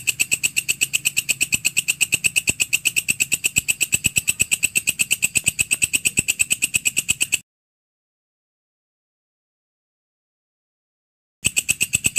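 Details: Grasshopper, known locally as walang kecek or belalang kerik, recorded as a tutor sound for songbirds: a dry, rapid, evenly spaced ticking trill with a high, hissing edge, broken by about four seconds of silence before resuming.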